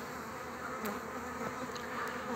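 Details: Honey bees buzzing around a frame with a queen while a new colony is being formed; a steady, dense hum of many bees with brief clicks and taps.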